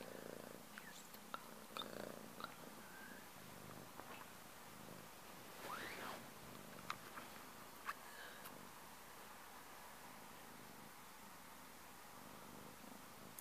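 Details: Low, throbbing cat purr, strongest early on and then softer, broken by brief rustles and sharp clicks.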